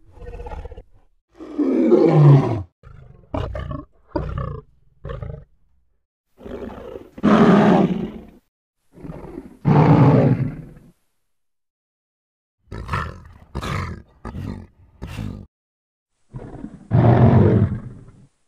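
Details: Lion roaring: a loud, deep roar sliding downward, followed by a series of short, grunting bursts with brief pauses between them.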